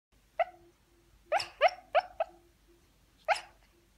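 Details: A Shiba Inu puppy, dreaming in his sleep, gives soft, high, clipped barks, four in quick succession, then one more.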